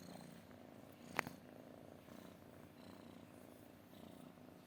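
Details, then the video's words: Quiet, continuous cat purr, a low buzzing rumble, interrupted once by a single sharp click. "kucing mendengkur"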